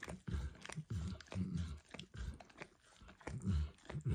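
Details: Close, wet lapping from Max the dog working a bumpy orange lick mat with food; thick, low smacking strokes in clusters, roughly two a second, with soft tongue clicks between, no voices.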